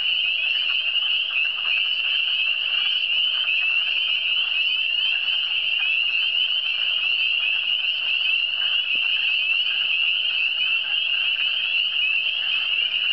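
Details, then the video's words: Frogs of the Eastern Townships calling together in a ceaseless high trilling chorus, evenly loud, with faint lower croaking textures underneath and a single sharp tick near nine seconds. "Le son des grenouilles"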